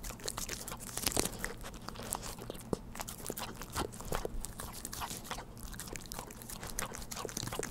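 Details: Dog feeding on Churu treats at home, close-miked and wordless: busy crackling lick-and-smack sounds repeated several times per second, a sharper cluster early on, otherwise an even stream over a soft low hum.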